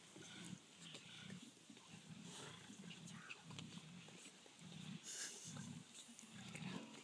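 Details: Hungry lions eating an antelope in Kapama Reserve, South Africa, fighting over the best parts: low rumbling growls and grunts in repeated bursts about every second, with crunching and tearing noises over a steady outdoor background.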